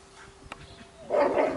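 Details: Lilly, a Labrador Retriever puppy, wants to play and gives one short, tonal, whiny yelp in the final half second, after near silence and a faint click.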